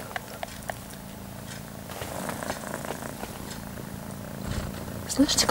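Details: Indoor domestic cat purring as an almost five-month-old kitten suckles from its mother; steady low rumble throughout, overlaid by a woman talking quietly and some rustling handling noise.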